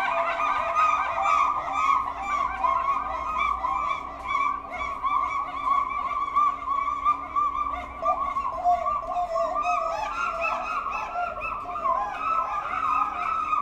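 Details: Pileated gibbons at a zoo duet, calling back and forth in loud, overlapping hooting notes that rise and fall.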